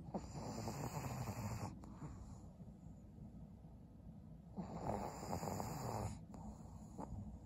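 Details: Twelve-year-old pug Maria, a fawn female senior dog in Japan, sleeps and snores: two long, coarse, wheezy breaths about three seconds apart, each fading into a hushed pause before the next rattling pull.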